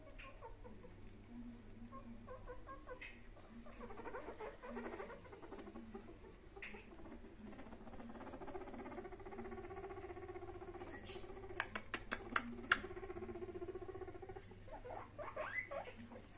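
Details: Pet guinea pigs Sheena and Peggy meeting Mr. Frodo indoors: low, buzzy, harmonic notes repeated in a steady patter. A few sharp clicks come near the end.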